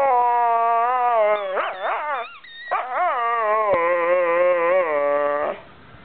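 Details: Loud, drawn-out whining howl from Molly the dog as she talks to her squeaky ball, the tone wavering and warbling up and down, with a brief squeak midway before fading out.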